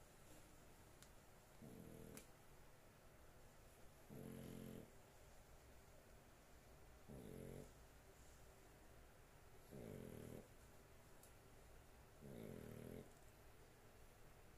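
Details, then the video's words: Sleeping pet dog snoring steadily indoors: five low, buzzing rumbles about every two and a half seconds, each roughly half a second long, with soft room hiss between breaths. "My dog snoring"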